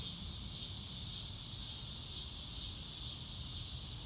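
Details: Crickets outdoors on a clear blue-sky day, a dense high-pitched chorus pulsing steadily and without pause, over soft low rumbling background noise.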